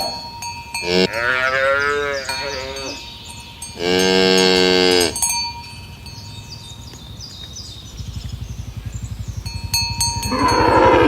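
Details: Cows herded along village roads towards the pen in the morning give two long, deep moos, the second louder and steadier, with cowbells ringing throughout.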